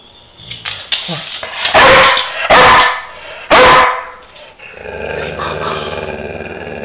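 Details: Pet dog coaxed by a person to say mama for Mother's Day, giving three loud, harsh barks spaced under a second apart, with a woman's encouraging speech and background music.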